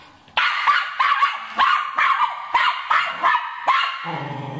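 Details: Cairn Terrier barking while hunting a rat, a rapid run of sharp, high barks at roughly three per second, ending with a lower, drawn-out whine.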